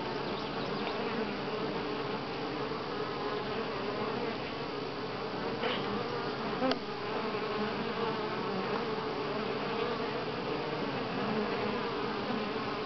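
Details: Honey bees at Grass Lake Sanctuary, recorded July 25, 2011 in week six, filling the air with a constant, thick drone, with faint ticks scattered through it.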